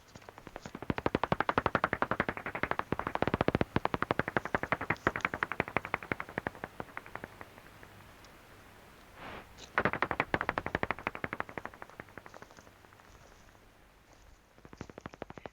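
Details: Common pipistrelle echolocation at dusk on a lakeside trail in Curraghchase Forest Park, Limerick, Ireland, through a bat detector at 45 kHz: a bat flying fast and low overhead gives rapid, irregular dry clicks and wet smacks, like a marble hopping on glass.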